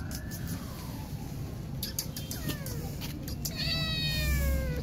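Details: Frightened kitten abandoned by its mother, with faint, thin meows that grow into a clearer descending cry near the end, partly buried under heavy low-pitched background noise and clicking sounds.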